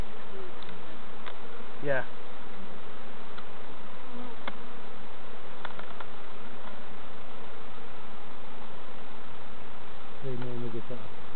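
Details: Honey bees droning loudly around hives being checked by beginner beekeepers at an allotment community garden, a constant low hum with occasional taps; brief spoken words break in near the start and again near the end.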